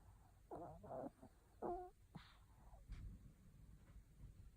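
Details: Sleeping Maltese, Non-chan, snoring noticeably loud: a cluster of rough, wavering snore bursts in the first two seconds, then softer snuffles and faint breaths in a quiet room.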